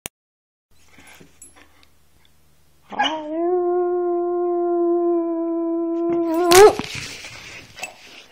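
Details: A dog gives one long, level howl of about three and a half seconds on a steady pitch. It ends with a brief upward break, then a rustle and near silence.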